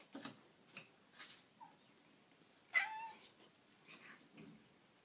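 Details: Baby kittens making cute noises indoors: several short, high mews and squeaks spaced about half a second apart, with one louder rising squeal near the middle and softer chirps after it.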